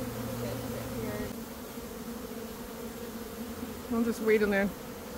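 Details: Honey bee swarm, one of two caught by a beekeeper on the same day in early May after a nectar dearth; steady, low, droning hum holds throughout, with a person's brief spoken words near the end.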